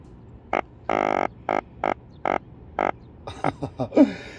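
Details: Swim-bladder fish in summer, possibly yellow drum or another croaker (uncertain which), give short, buzzy, throbbing croaks at uneven intervals in a group chorus. The croaks are made with belly muscles and were heard in a boat's engine room with the engine off.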